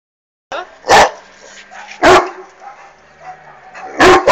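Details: Irish Wolfhound barking at a flying hot air balloon: three loud, deep, broad barks spaced about a second and a half apart, with a quieter background hum between them.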